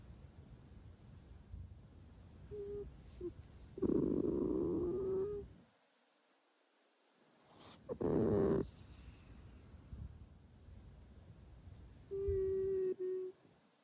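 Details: Sleeping Russian Blue kitten Sora snores and talks in its sleep: a brief soft chirp, a longer raspy hummed murmur, a short noisy snort-like breath after a silence, then a final steady whining hum.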